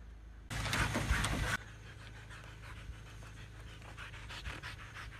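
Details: Siberian Huskies out for a running workout in a field; quick, rhythmic panting at about three breaths a second after a brief loud burst of rubbing noise, steady low hum underneath.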